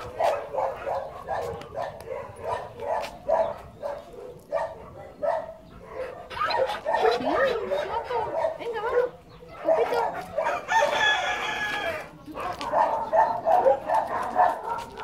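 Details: Rubio, a white Labrador mix, barks in quick repeated bursts, with a drawn-out harmonic whine near the middle and a human voice now and then.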